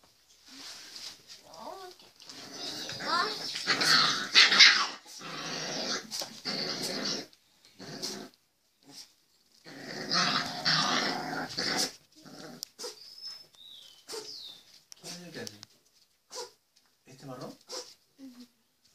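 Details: Pit bull puppy at play, giving rough raspy growls and squeaky yelps in irregular bursts of one to three seconds, broken by short quiet gaps.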